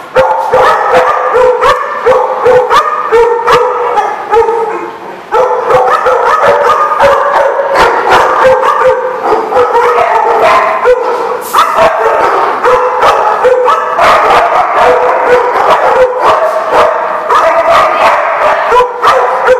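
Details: Many dogs barking together at a boarding place, a loud, dense chorus of overlapping barks, yips and howling tones that goes on without a break.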